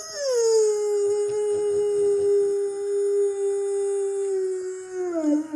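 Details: Dog holding one long, steady, tonal howl for about five seconds. The howl stays level, then dips lower in pitch at the end, with little other sound behind it.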